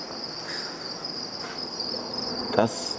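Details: Crickets chirping throughout a hot breeding room, around 30 degrees, at a professional feed-insect farm in Taiwan; a steady high-pitched continuous trill, with a brief clatter and faint voices.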